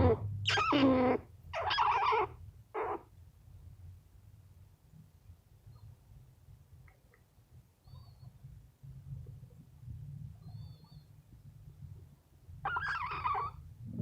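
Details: Sleepy rescue squirrel making funny sounds while being petted: three loud, squeaky, harmonic-rich bursts in the first three seconds, a long quiet stretch with a low steady hum, then one more rough squeaky burst near the end.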